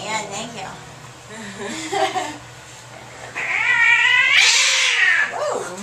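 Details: An angry domestic cat at the vet during an examination, yowling and screaming; a long wavering howl swells loudly and rises in pitch near the end, with a person talking in the background.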